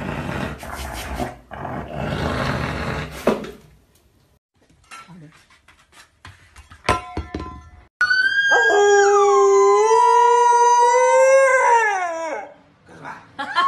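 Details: Husky howling: after several seconds of mixed noisy sounds and scattered clicks, a loud, sustained, steady howl holds for about four seconds, rising slightly near its end before breaking off, with a short burst of noise following.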